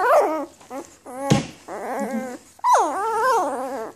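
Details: Newborn Afghan Hound puppies, May 23, 2014 litter, uttering short squeaky whimpers, then a longer whine that sweeps up and gently falls, with one sharp knock midway.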